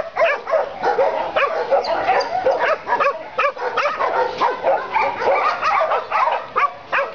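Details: Dogs at a dog pound barking in a dense, overlapping chorus, sharp yaps and barks coming several per second from many animals at once with no pause.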